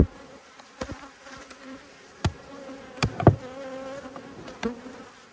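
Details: Honey bees from two hives turning cross while being inspected, March 2022: a steady low hum holds a constant pitch with overtones throughout, broken by sharp clicks and knocks of handling.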